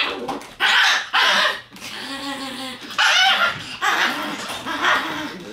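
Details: Red Shiba Inu male puppy born 14 September, usually timid but bold here, giving odd drawn-out whining yelps with strong harmonics, in bursts separated by short pauses, indoors.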